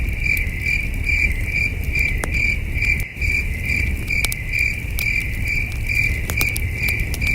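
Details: Crickets chirping at night beside a campfire at a camping site under a starry sky: a steady high pulsed chirp repeating about two to three times per second, with sharp crackles from the fire and a low rumbling background.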